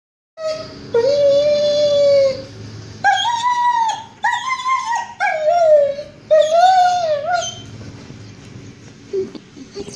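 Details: Mickey, a Gordon Setter, crying for the owner: long high whines, some sliding down, others rising then falling, in repeated bursts with short breaks, indoors, fading to quieter whimpers near the end.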